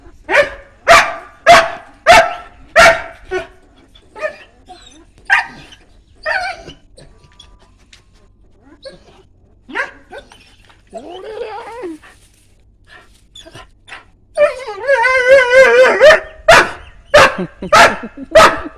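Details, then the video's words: Dog barking in a sharp, regular series at the start and again at the end, with quieter whimpering, yelping calls and some talking heard in between. "Funny Dog"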